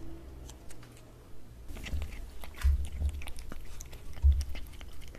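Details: Pet cat eating wet cat food from a glass table indoors, close up: soft irregular smacking and chewing with occasional sharper clicks of tongue and teeth, low and damp, in a quiet small room.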